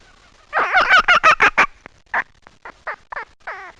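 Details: Rapid run of rough, grating fox barks packed closely together, followed by a handful of separate, fainter yelps and a final wavering cry.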